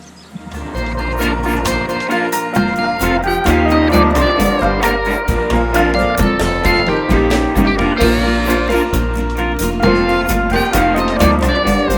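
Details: Upbeat instrumental music with plucked guitar-like notes and a steady rhythm plays throughout, with no animal sounds.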